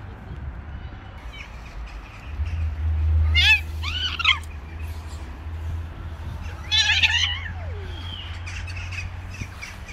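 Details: A female cat, unwilling to stay with a male cat, gives a few short rising-falling meows near the middle and again after a pause, over a steady low hum and background noise.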